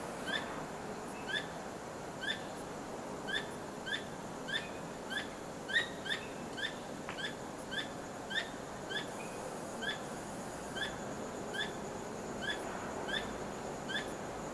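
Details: A squirrel calls at night, its tail wagging, in an unusually persistent sequence: clipped, metallic chips repeating every half second or so, occasionally bunched closer together, continuing steadily over soft background noise.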